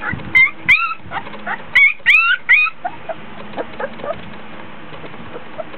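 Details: Hot, tired Border Collie pups aged 24 days in a whelping box; a handful of sharp high yips and short whimpers clustered in the first three seconds, then quieter scattered squeaks and rustling.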